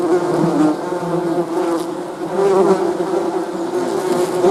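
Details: Steady low hum of buzzing bees, a thick droning tone with a brief dip in loudness midway before the drone swells again.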